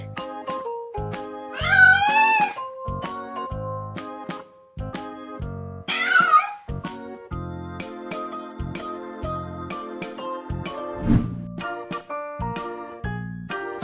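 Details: A tabby cat meows twice, each call long, nasal and wavering, rising then falling in pitch, over bright plucked background music with a steady beat.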